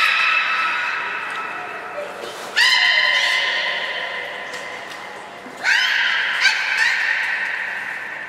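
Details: Nana the beluga training at Port of Nagoya Public Aquarium on 13 April 2019. A long, reedy, harmonic squeal is followed by two louder calls that each jump in with a rising sweep and then hold steady, about three seconds apart.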